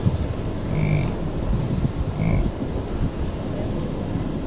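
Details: Bison bulls give deep, rumbling growling grunts, a rut vocalization, swelling twice over a steady low wind rumble; herds on the move at the Tall Grass Prairie Preserve near Pawhuska, Oklahoma, morning of 26 July 2017, recorded from a car. American bison.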